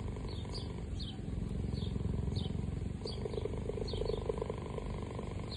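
A cheetah purrs, a deep, steady, rumbling vibration, while small birds chirp faintly in the background.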